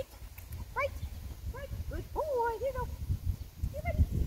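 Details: Merlin, a Cane Corso, sings its "Casanova's Mustang Song" in short, wavering whines. The tones climb, then sweep up and down in quick succession, with a low rumble and knocking sounds underneath.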